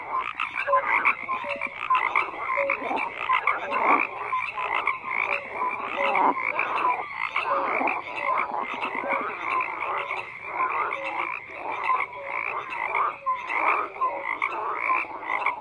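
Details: A thick frog chorus, many croakers calling at once in a continuous rasping wash, punctuated by brief tonal notes, no other sounds heard.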